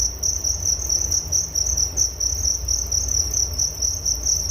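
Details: Crickets give an unbroken high, thin trill made of quick regular pulses, a calming night-style sound for falling asleep, backed by a soft low rumble.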